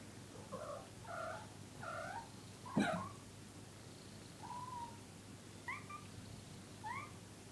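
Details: Lazy domestic cats on a sofa grooming each other; several short rising chirping meows, a sharp louder noise near three seconds, then more brief upturned chirps over a steady low hum.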